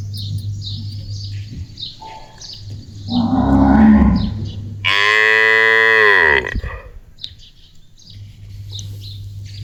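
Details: A pet cow in an Indian village, called by her owner, gives a long, loud, harmonic moo that rises then drops away after a lower grunting lead-in.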